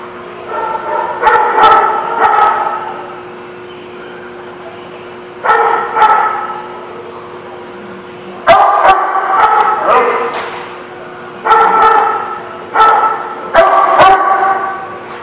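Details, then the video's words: Dog barking in bursts: groups of loud, sharp barks with some higher yips, separated by short pauses, with several bursts over the stretch. "The Barking Lot"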